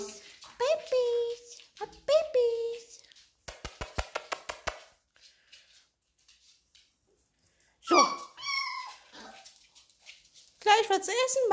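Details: Labrador Retriever puppies whimper and yelp in high, wavering bursts in reply to a woman calling them.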